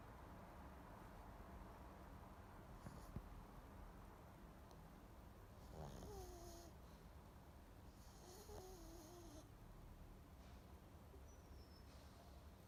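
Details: A sleeping pug snores in a steady low rumble of breaths. Whistling, wavering wheezes rise at about six and again at eight and a half seconds, with brief airy hissing bursts, in a quiet setting.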